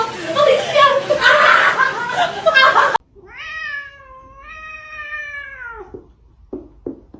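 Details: Cat gives one long, steady meow that drops at the end, followed by a few short soft clicks; noisy laughter and crying precede it.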